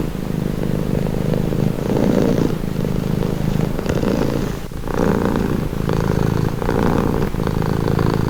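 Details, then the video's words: Close, continuous cat purr, deep and vibrating, rising and falling in alternating breathing phases of about a second each, with a short lull just before the five-second mark. "Purring cat"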